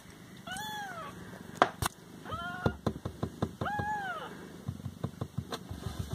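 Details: Several pet Siamese cats indoors near mealtime give three clear, arched, drawn-out meows spaced about a second apart, mixed with sharp clicks, taps and a low background rumble.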